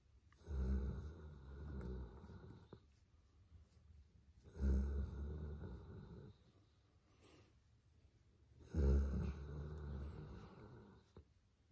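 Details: Lazy-morning snoring from Molly, a female Boerboel getting a head massage before her busy day: three deep, throaty snore breaths roughly four seconds apart, each a low rattling rumble that tails off, with near-silent gaps in a small room.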